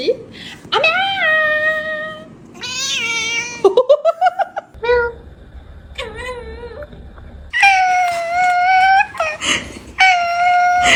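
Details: Domestic cat giving varied meows and caterwauls indoors: long harmonic wails, a rapid stuttering burst near the middle, then loud drawn-out yowls, with people talking at times.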